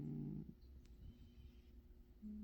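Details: Cat snoring while asleep: a low, buzzy, rumbling snore burst at the start, quiet rough breathing in between, then another low droning snore beginning at the end, in a quiet room.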